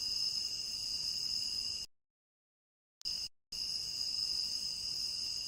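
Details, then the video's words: Crickets chirping in a tropical rain forest. The high, steady pulsing trill runs continuously, broken by abrupt stretches of complete silence before the chirping resumes unchanged. "Endless Cricket Chirping"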